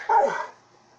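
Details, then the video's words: A single short bark from Thor, a Saint Bernard/Pit Bull mix acting jealous over his human, sharp at the onset and fading within half a second into quiet. "Saint Bernard/pittbull mix being jealous"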